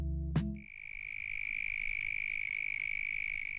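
A mole cricket sings a steady, high, single-pitched trill that buzzes with rapid, even pulses.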